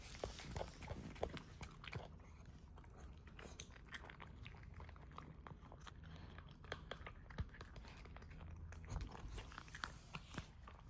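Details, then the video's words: A puppy eating indoors: dense, irregular crunching and wet chewing clicks with sharper bites standing out, over a steady low rumble in a small room. "Sound of puppy eating"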